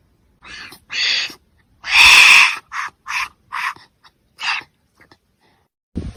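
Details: Wombat sounds: a series of short, harsh, hoarse bursts, one long loud rasping call near the middle, separated by brief silences.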